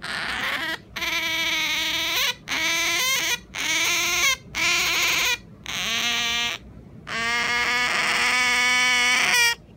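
An Asian small-clawed otter whines in its sleep: about seven drawn-out, nasal, wavering squeals, each roughly a second long, separated by brief pauses.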